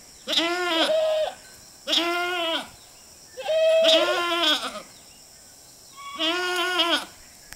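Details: Four long, quavering bleats, roughly one every one and a half seconds, come from a herd of goats grazing by the roadside over a steady faint high hiss.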